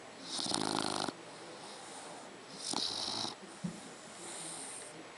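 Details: Snoring from a three-month-old Dogue de Bordeaux puppy: a harsh, buzzing inhaled snore, then a shorter rasp two seconds later, with gentle hissing exhales between them.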